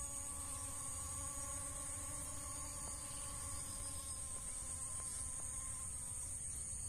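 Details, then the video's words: Honey bees collecting from dragon fruit flowers; a steady droning buzz with layered tonal hums, continuous for the whole stretch, under a constant high hiss. "ড্রাগন ফুলে মৌমাছির মধু সংগ্রহ করা দেখুন"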